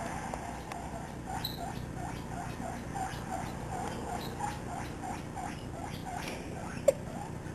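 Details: A seven-week-old guinea pig named Misty runs around a living room with her companion Peanut, chattering constantly. Short, even squeaks pulse rapidly throughout, with one brief knock near the end.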